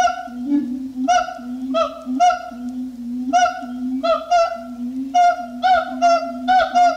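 Siamang giving loud, nasal, honking barks in uneven bursts about every half second to a second, over a steady low booming hum.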